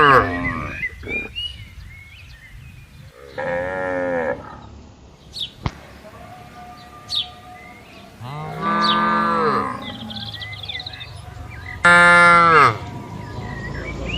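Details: Herded cattle moving into a farm pen give a series of drawn-out, resonant moos spaced a few seconds apart, the last one loudest, while small birds chirp faintly around them.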